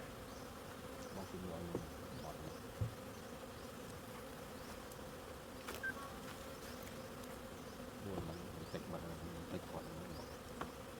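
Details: Honey bees humming in a steady, low continuous drone with faint layered bands that hold through the whole stretch, broken by a few soft clicks and knocks.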